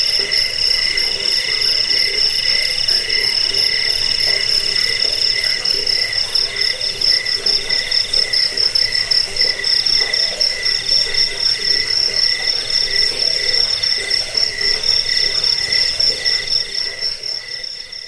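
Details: Crickets, in a recording meant to drive away rats, lull listeners to sleep and train caged birds: a continuous piercing trill holds a constant pitch, overlaid by rapid throbbing pulses that quicken and fade, with a dense chorus-like texture throughout.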